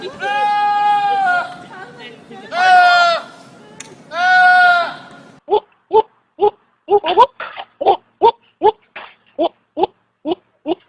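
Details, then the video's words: Three long, harsh goat bleats at the start, followed by a fast series of short, clipped bleating sounds repeated about twice a second. "Funny sounds of Goats"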